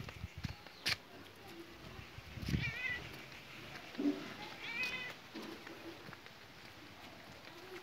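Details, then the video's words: Village cat, one of two cats watching an 80-year-old woman eat and later fed rice by her, gives two faint, short wavering meows about two seconds apart over steady background hiss and a few soft knocks. "cute cat love old ladi"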